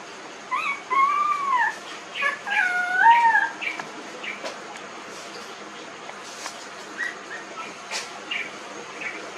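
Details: Nineteen-day-old puppies in a village, giving high thin whimpers that rise and fall in short wavering arcs, a few clear ones early then fainter scattered squeaks against a steady background hiss.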